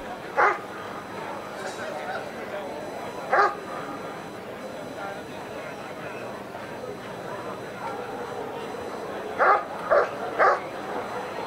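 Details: Dog Ivar vom Falorie during the protection phase of the NIAK 2017 dog sport trial, scoring 93 points as vice champion; five sharp barks, one early, one near 3.5 seconds, then a quick run of three near the end, over steady background noise.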